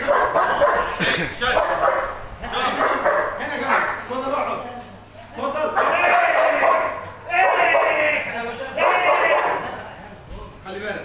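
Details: Boerboels, also called South African or African Mastiffs, a pair named Enzo and Diva living in Egypt, give rough harmonic barks in bursts roughly every one to two seconds, with human voices and music also present.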